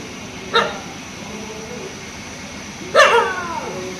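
Two barks from a dog break a quiet background, one short and clipped, the next fuller and rougher with a ragged tail. The barking is a reaction to a fox nearby.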